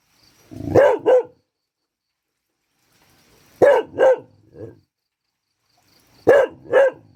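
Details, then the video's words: Dog rehearsing its bark on a rainy day, giving paired yaps: two quick barks, a gap of about three seconds, two barks followed by a softer third, then a final pair. "ฝนตก รูปหล่อ ซ้อมเห่า น่ะงับ"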